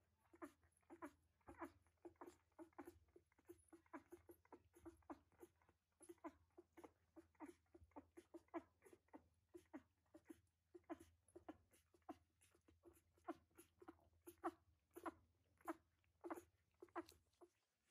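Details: Week-old puppies indoors in a whelping box, a continuous stream of brief high squeaks and whimpers, irregular, close to two per second, from several pups at once, with a low background hum throughout.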